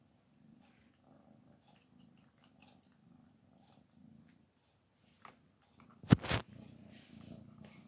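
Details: Black Panther, a cat with a poor appetite and a sense of smell dulled by a cold, being coaxed to eat. Soft rhythmic low purring pulses, then a sharp loud knock near the end.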